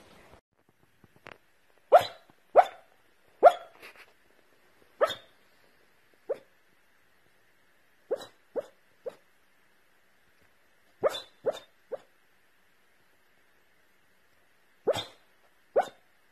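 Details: Corgi Husky mix puppy barking in short sharp yaps, bursts of two or three spaced irregularly over sixteen seconds with quiet gaps between, no other clear sounds.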